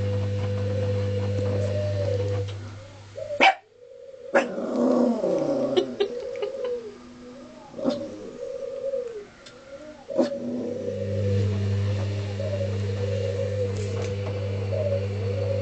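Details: Pet dog Foxy reacting to a washing machine that will not run: the low mechanical hum stops, then a run of sharp barks mixed with rising-and-falling whining yelps, before the hum starts again.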